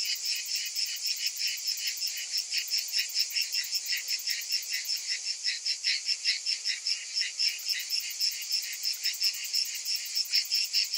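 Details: Many cicadas in summer heat, droning as a steady high-pitched rasp that throbs in quick pulses throughout, with no other clear sounds.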